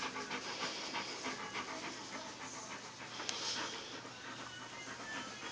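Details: A pet chinchilla, just woken, makes a fast, uneven run of breathy, huffing pulses, three or four per second, over faint hiss; owner first thought it was angry at being woken, later suspects a warning call about the dog.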